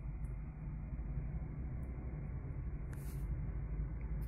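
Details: Steady low engine rumble from a vehicle fills the recording, with a brief faint hiss near the three-second mark and no animal voice.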